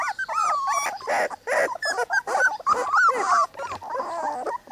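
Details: Three-week-old Cane Corso puppies from one litter whine and squeal, with drawn-out wavering cries and bent, rising-falling whimpers overlapping in quick succession.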